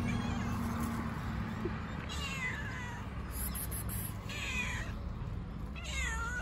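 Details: Fluffy street cat, one of many homeless cats fed by local residents, meowing three times with rising-then-falling plaintive calls spaced about two seconds apart over a constant low outdoor rumble.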